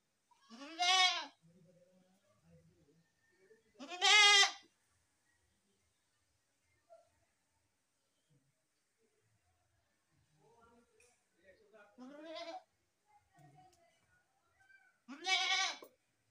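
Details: Baby goats give four strong, harmonic, wavering bleats spaced several seconds apart, with quieter grunts and softer broken calls between them and a near-silent stretch in the middle.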